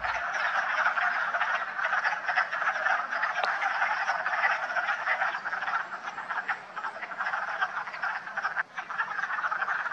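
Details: Wood frogs in full chorus at a vernal pool in West Hill Park and Dam, Massachusetts, on March 14, gathered there to mate and lay eggs; dense, continuous overlapping clucking croaks from many frogs with no pauses.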